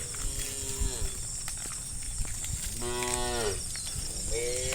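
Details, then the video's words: Herd of hundreds of tame cattle running together along a village forest interior road; several drawn-out harmonic moos, falling at the ends, over a steady low rumble of hooves and a constant high hiss. "Hundreds of tame cows run together through the village forest interior road, the sound of cows"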